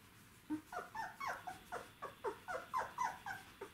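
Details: Czechoslovakian Wolfdog puppies, 12 days old, from the litter of Orizon and Rahan, recorded 3 December 2020. A rapid run of short, high, downward-sliding whimpers comes about four times a second, steady and insistent, over a quiet background.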